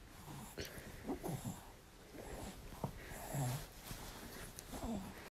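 A French Bulldog gives low snuffling grunts and wheezy snorts, asking for more cuddles.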